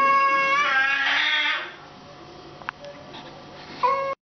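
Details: Domestic cat fight with a sustained wailing yowl that swells harshly then fades, followed by near silence, a brief click and a short final whine.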